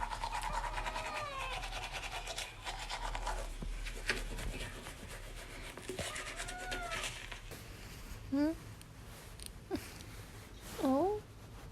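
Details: Young kitten clinging to its owner and following her everywhere, meowing repeatedly indoors: soft rising-falling mews early on, then two louder, sharp dipping-and-rising meows near the end, with a woman talking and household rustling and scratching in between.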